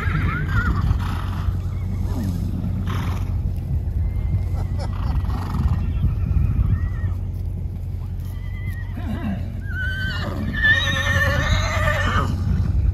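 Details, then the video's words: Wild horses from a preserve herd of more than 225 galloping past. Constant low drumming of hooves fills the clip, with faint calls early and several shrill, trembling whinnies toward the end. "Wild Horses + Thundering Hooves"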